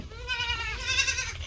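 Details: Domestic goat raised on a farm, giving a single strong bleat with a wavering, nasal, harmonic-rich tone that brightens in the middle and holds steady for over a second, over a low background rumble.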